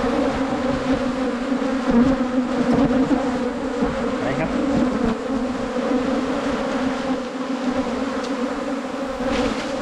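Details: Wild Asian honey bees found on a 2022 honey-hunting trip in Thailand, season 8. A dense, continuous low buzzing drone of many bees holds steady throughout, with a rougher rasping texture layered over the hum.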